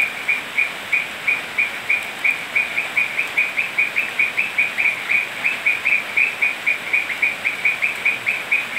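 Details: Toads calling on a rainy night in Manu National Park, Cusco, Peru: a steady series of short, high, clipped notes, about three or four each second, over a constant hiss of rain.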